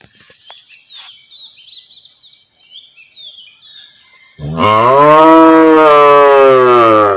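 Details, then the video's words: Village cow standing and calling her calf: small birds chirp faintly in the background, then one loud, long, rich harmonic moo begins about halfway through, holding steady and slightly rising until the end. "Village Cow Mooing || Cow Sound || Cow Standing || Cow Call Her Calf"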